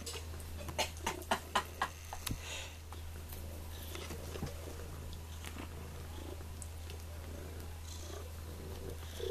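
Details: Sonny, a kitty at the Sullivan, Missouri pound awaiting adoption, purring indoors: a steady low rumble throughout, broken early on by a run of sharp clicks and light handling taps.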